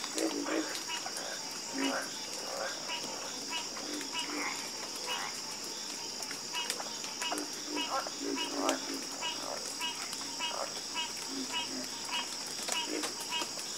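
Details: Night chorus of frogs: repeated pulsed, rattling croaks from several callers overlapping at mid pitch, backed by a constant high-pitched shrill drone resembling insects.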